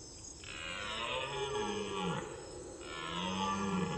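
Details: A red deer (Cervus elaphus) gives two long, low, hoarse bellows, each nearly two seconds long, described as calling while it searches for a missing companion.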